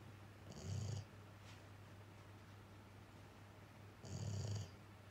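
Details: Male rescue dog, a Labrador–Schnauzer mix, asleep indoors while a female housemate comes to check on it; two long snoring breaths about three and a half seconds apart, each a low rumble with a hissy upper edge, quiet room between.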